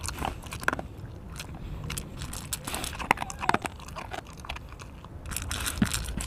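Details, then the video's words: A pet dog named Mungchi eating indoors in a small room: irregular dry crunches and biting clicks, some sharp and loud, others soft, with faint background voices. "강아지(뭉치) 먹방입니다~귀엽게봐주세요 dog mukbang"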